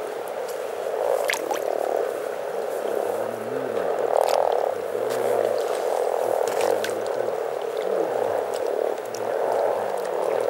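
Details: Spring chorus of more than 300 frogs at Teisko, Pirkanmaa, Finland: a thick, unbroken bed of purring croaks, swelling in pulses every second or two, with a faint low hum of voices underneath.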